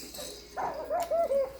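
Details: Vizsla puppies from one litter, five and a half weeks old, giving short high whimpering whines: a soft wavering note, then three brief tonal whines in quick succession, each dipping slightly at the end, over faint room hiss.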